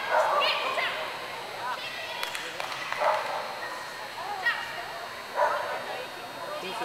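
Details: Clumber Spaniel at an agility event at Concord in November 2009, barking in short, sharp bursts at irregular intervals over steady crowd murmur and encouraging human voices.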